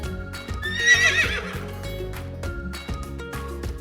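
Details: A horse gives one short, shaky whinny that peaks and wavers for about half a second near the start, set against steady children's music with regular beats throughout.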